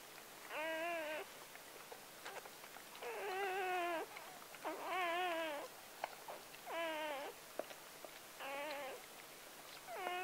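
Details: Puppy number seven of Clea's litter of nine Gordon Setters, born October 23, 2014, crying at birth: loud, quavering whines about one second long, repeated roughly every one and a half seconds with short pauses between.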